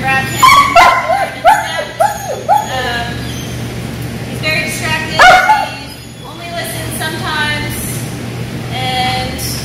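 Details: One-year-old German Shepherd at dog training in Georgia, giving a series of high, pitch-bending whining yelps in short bursts, some falling and some rising, with a person talking and a steady low hum behind.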